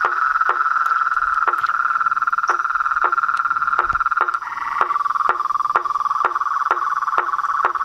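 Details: Mixed chorus of toads, frogs and tree frogs: a continuous buzzing trill holds a steady pitch, punctuated by crisp, evenly spaced knocks roughly twice a second, and a brief higher call joins near the middle.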